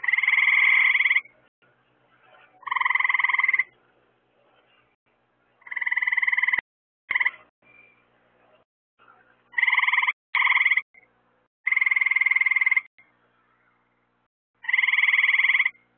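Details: Frogs croaking at night where lights attract insects: a series of loud, buzzy pulsed trills about a second long, spaced two to three seconds apart, with faint background calls between.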